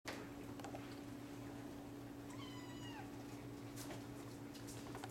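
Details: Hairless Sphynx or Bambino kittens from a cattery litter, some awake and some asleep; a single high, wavering mewing cry with a falling tail midway, over a steady low electrical hum indoors.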